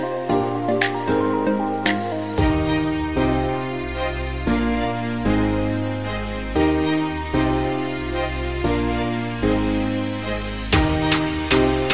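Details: Slow, tender background music with layered sustained tones fills the recording, and no animal sound can be picked out.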